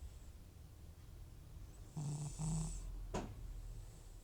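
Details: An old sleeping cat named Butcher, FIV positive and prone to snoring from runny nose and sneezing, gives two short rasping snores in quick succession, followed by a single sharp click.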